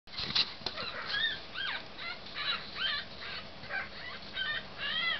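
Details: Havanese puppy at a farm in Tennessee, a chocolate male with a stripe across his rear, gives high, squeaky, bending whimpers and yips, repeated roughly every half second, with a few handling bumps at the start.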